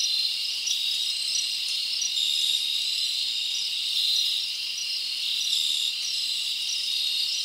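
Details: Nighttime chorus of crickets in a forest in summer, a continuous bright buzzing band with faint sustained whistle-like tones layered over it, even in volume throughout.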